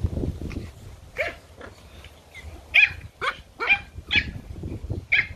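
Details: Toy Pomeranian puppies playing in a garden give shrill yips and short barks, some with a rising squeaky tone, about eight calls over a few seconds.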